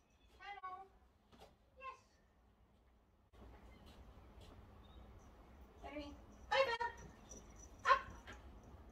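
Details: Dandy, a rescued domestic cat with a head tilt who spent seven years in a breeder's cage, practising agility in his outdoor catio enclosure; two brief harmonic meows early on, then a person's voice and further short calls mixed with speech.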